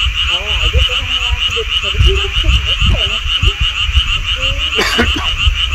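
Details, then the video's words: Mountain frogs near a golf course: many overlapping wavering croaks and a rising drawn-out note over a steady pulsing high-pitched chorus, with a brief sharp noise burst near the end. "개구리 소리"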